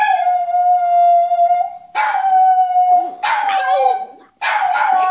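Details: Male French Bulldog trying to copy another dog's howl: a long steady tonal howl of nearly two seconds, then several shorter, rougher, wavering howl bursts at a similar pitch with brief gaps between them.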